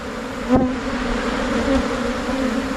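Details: A swarming colony of Asian honey bees moving into a new hive box makes a dense, continuous droning buzz, with one brief sharp knock near the start and a slight swell in loudness toward the end.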